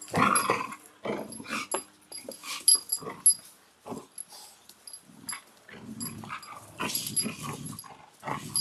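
Belgian Malinois puppies give short, irregular yelps and small growls, with breathy pauses between bursts.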